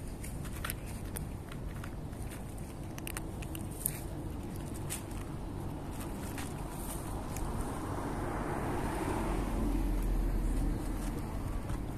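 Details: Outdoor street ambience with a low steady rumble, a vehicle passing and swelling around the end, and scattered footsteps, with no clear animal sound.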